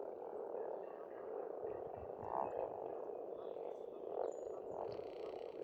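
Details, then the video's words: Frogs chorusing at a pond on an Estonian farmstead in spring: a dense, steady mid-pitched croaking drone that swells in places, with faint bird whistles and high chirps above. "Расслабляющее пение птиц и лягушек, весна, природа."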